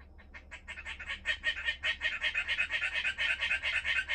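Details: Pet frog calling in a rapid pulsed trill, bright rattling notes rising in strength and running unbroken for about four seconds over a faint low hum.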